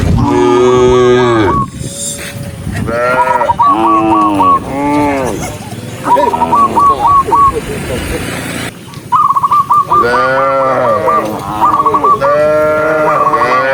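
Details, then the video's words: Dozens of tame cattle walking on foot, mooing over one another in long, deep, wavering lowing calls, with bursts of short, rapid, high trilled notes repeated between the moos. "cow Sound cow Moo"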